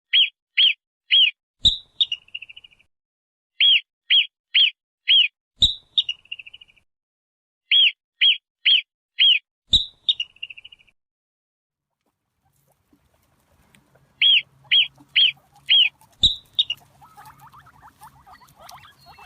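A marmot gives bursts of shrill, chirping whistles, four quick notes and a trailing trill, repeated every few seconds.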